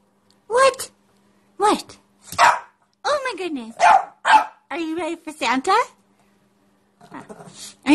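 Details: Pekingese, just bathed, barking and yelping indoors in a rapid series of sharp yaps and rising, wavering cries, about every half second, while a woman speaks to it.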